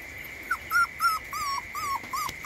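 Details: Puppy left sleeping outside in the rain, giving thin, high whimpering whines, about seven short wavering cries in quick succession, some slightly rising then falling, over a steady faint high tone in the background.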